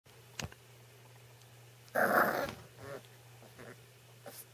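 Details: A 7-week-old male American Cocker Spaniel puppy gives a short, rough growl with a few softer grunts while playfully attacking a person's hands.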